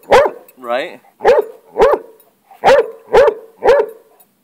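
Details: Hound barking while confronting a lizard, his pet obsession: seven sharp, evenly spaced barks about half a second apart, with a brief whining, wavering cry between the first two.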